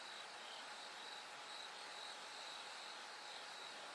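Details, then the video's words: Bell cricket singing at night as it grows light toward dawn: a faint, high, ringing tone repeated in short regular pulses over a steady hiss of other insects and background noise. "bell cricket Cry of falling insects It gets brighter gradually from the night"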